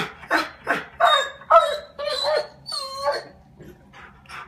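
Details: Adenine, a five-year-old German Shorthaired Pointer, reacting to birds on the skylight; a few loud barks followed by drawn-out whining yelps with a tonal, howl-like rise, then quieter huffs.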